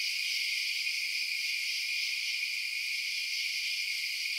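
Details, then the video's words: Crickets chirping at night, a dense, unbroken high-pitched shimmer of many overlapping trills in steady bands, holding constant in loudness throughout with no other sounds. "Night Sounds Crickets Chirping"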